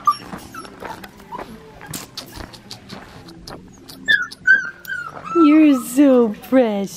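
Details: Blue merle male Australian Shepherd puppy at Fifteen Acre Farms in Oklahoma, five and a half weeks old, recorded Saturday October 30th 2021 while being handled; high, wavering whimpers and whines building near the end, with soft speech and handling noises.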